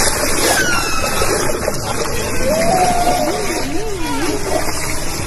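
Several tonal whale calls rise above a dense wash of underwater noise. A whistle slides downward, a level tone follows, and then a lower moan wavers up and down like a slow trill.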